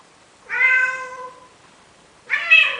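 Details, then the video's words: Male domestic cat in Athens, Greece, begging a female Siamese cat to mate: two drawn-out, harmonic meows, the first long and slowly falling, the second shorter and rising, separated by about a second and a half of quiet indoors. "Male cat begging female Siamese cat, trying to convince her to mate making cute sounds!! ζευγάρωμα"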